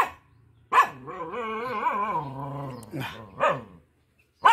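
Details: Protective mama dog with four puppies in a village: one drawn-out wavering, whining tone of about two seconds, followed by two short sharp barks.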